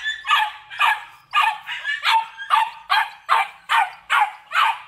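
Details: Belgian Malinois male from a kennel litter in Vietnam, black with red-black coat, barking steadily: about ten loud, harsh barks spaced roughly half a second apart, each one clipped and even in strength.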